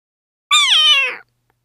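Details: Indoor Persian (Shirazi) cats meeting a new kitten named Felix; a single drawn-out meow, bright and harmonic, opening high then sliding steadily downward before fading, with quiet surroundings and no other clear sounds.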